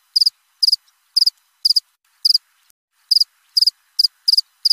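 A cricket chirps in quick three-pulse bursts, repeated about every half second.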